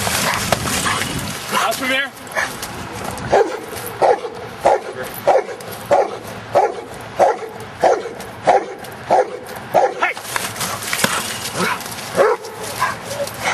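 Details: Giant schnauzer playing outdoors in rain and mud barks in a steady series, roughly one short bark every half second to second, over heavy broadband rain and wind noise.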